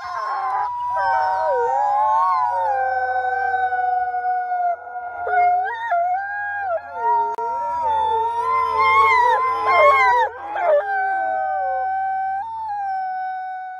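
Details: Captive-born female Canadian/Rocky Mountain gray wolf at a wolf conservation centre in South Salem, New York, giving long, sustained, wavering howls that slide up and down, with several overlapping tonal voices and brief breaks near the middle.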